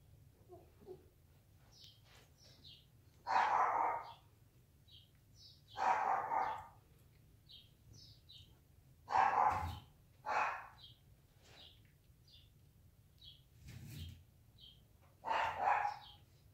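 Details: Siberian Husky mother sleeping with her puppies accidentally kicks one of them; five loud, rough mid-pitched bursts of barking or whining come in bouts a few seconds apart, with faint high thin squeaks between them over a quiet low hum.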